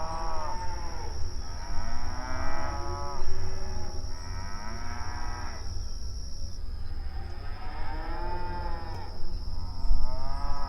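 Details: Several cows mooing at night give long, drawn-out, overlapping moos, some rising and falling in a mournful tone.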